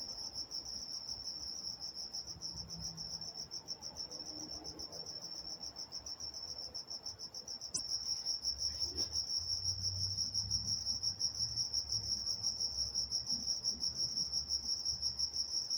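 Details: Crickets calling at night in Walnut, California, a continuous shrill trill of fast regular pulses that grows louder about halfway through, over soft low background hum and a brief faint click.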